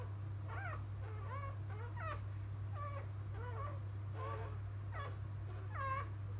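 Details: Freshly born Labrador Retriever puppies of field type, whelped by biscuit, the 2017 JFA grand champion, utter quick downward-bending squeaks in brief clusters roughly every half second, with a continuous low hum underneath.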